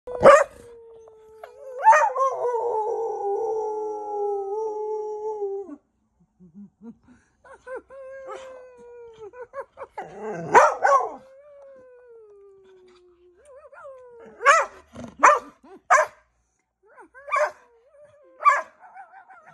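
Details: Dogs howling in long sustained tones near 500 to 1000, wavering and sliding down, broken by sharp barks that come in clusters toward the end.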